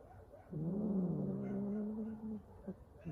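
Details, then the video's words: Hungry street cat making funny noises while eating: a single low, harmonic, drawn-out moaning growl lasting about two seconds, steady in pitch with a slight dip at its start, over quiet background. "Hungry street cat eating and making funny noises at the same time"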